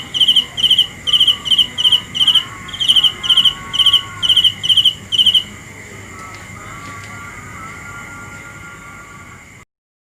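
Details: A cricket at night sings sharp, high, trilled chirps about twice per second for five seconds, then falls silent, leaving faint whistling tones and soft hiss before the sound cuts out.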